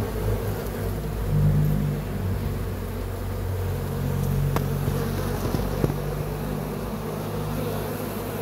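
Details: Continuous low droning hum of honey bees, steady throughout with slight swells in loudness and a couple of faint clicks midway.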